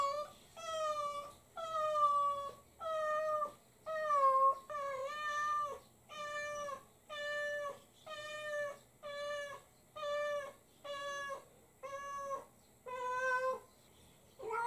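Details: Pet cat crying in a baby-like voice while its owner is away, angrily taking it out on a pointed hat made from its own shed fur; about thirteen loud, drawn-out, harmonic meows in steady succession, each slightly wavering, in a quiet room.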